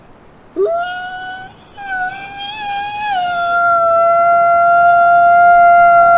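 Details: Gray wolf (Canis lupus), howl.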